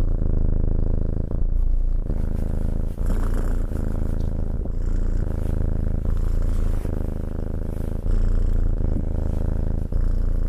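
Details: Cat being petted purrs throughout, a deep rolling rumble in long stretches separated by brief breath breaks, with faint rustling from the stroking hand.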